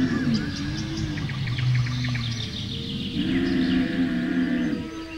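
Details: Camel moaning in deep, buzzy tones with a sustained lower grumble in the middle, then a steadier harmonic call; bird twitters run through the background.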